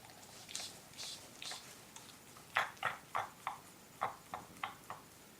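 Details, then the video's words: Female pet dog indoors in a small room, making a strange noise while licking her leg: a few soft hissy puffs, then a quick run of short, rough, snorting bursts about three per second that fade toward the end. "Funny Dog Makes Funny Noise"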